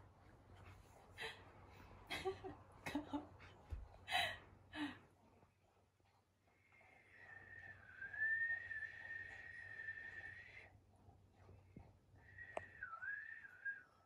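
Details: Indoor Akita, one of two females: brindle Patako aged four, red Komugi aged three, after a scolding and comforting with a rabbit toy. Scuffles and breathy snorts come first. Then a drawn-out high whine lasting about four seconds, followed by a shorter wavering whine.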